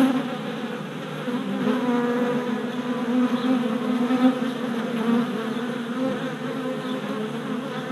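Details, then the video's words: Continuous droning buzz from a swarm of worker honey bees on orientation flights before their hive, recorded 27 April 2017 with a GoPro Hero Session 5, the hum swelling slightly and wavering as individual bees pass close. "Honey Bee Orientation at Hive"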